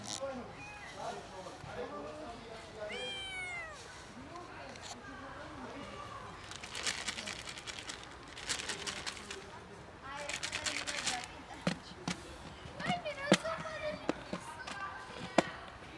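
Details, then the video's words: Hungry cat colony, one cat making weird sounds: a run of drawn-out, wavering meows, some rising and falling steeply, then shorter cries amid human talking and sharp clattering bursts. "This cat makes weird sounds - cat colony is hungry"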